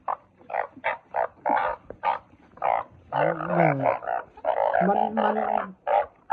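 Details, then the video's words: Truncate-snouted burrowing frogs give quick rasping croaks about twice a second. Midway, longer drawn-out groaning calls with a lower wavering tone break in, crowding together before the short croaks resume. "เสียงอึ่งเผ้า อึ่งปากขวด เสียงชัด100%"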